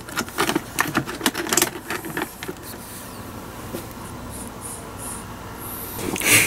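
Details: Quick irregular tapping and clicking at the start, then fading to a steady low indoor hum with a few faint high squeaks near the end.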